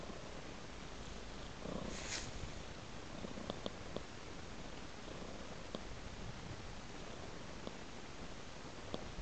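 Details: Indoor cat lying on a soft blanket, giving a low continuous purr under a few light clicks and one brief rustling sound early on.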